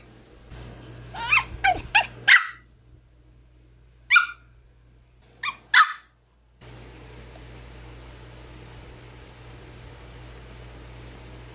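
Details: An angry Pomeranian gives sharp, high-pitched yappy barks in quick bursts at a hanger holding a facemask, then falls quiet.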